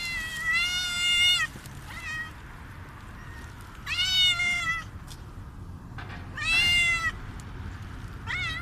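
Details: A hungry street cat meows loudly and repeatedly, with long drawn-out cries every few seconds, asking for food.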